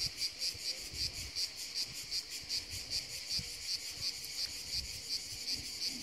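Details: A cicada found on a tree in the hills sings a high, shrill buzz pulsing in quick regular beats, about three every second.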